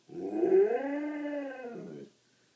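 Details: Pet dog howling while watching a tech TV show, joining the howling at its end; one smooth drawn-out howl of about two seconds, rising slightly then holding steady and fading, rich in harmonics, in a quiet small room.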